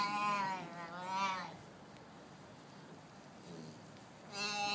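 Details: Young Arabian oryx calf chatting, giving two wavering bleats in quick succession, then a hushed pause before a third bleat begins.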